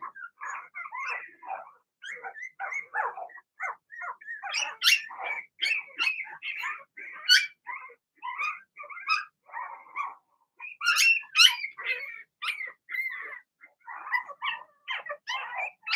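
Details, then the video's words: Six Blenheim Cavalier King Charles Spaniel puppies of Remy's first litter, two girls and four boys, in a home puppy pen, keep up a long busy chorus of overlapping yips, squeaks and barks, several pups calling at once. "Cavalier Puppies Bark, Howl"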